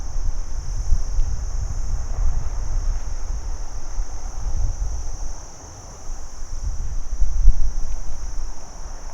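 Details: Crickets chirping by day as one constant high buzzing trill, with a steady low background rumble that briefly drops quiet near the middle.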